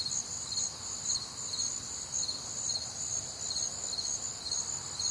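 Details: On a humid Midwestern summer night, crickets keep up a thin, high-pitched pulsing trill, chirps repeating about twice a second over a faint steady ringing tone.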